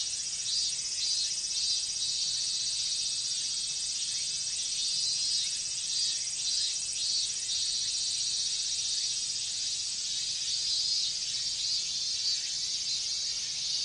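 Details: Minmin cicadas in a Japanese summer chorus during the heat: a dense, steady high-pitched buzzing wall with faint overlapping pulses, shimmering continuously throughout with no other clear sounds.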